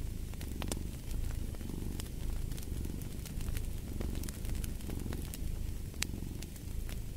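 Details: A cat purring, a soft low vibration that swells in gentle waves, with loud intermittent crackles and pops from a burning fire beside it.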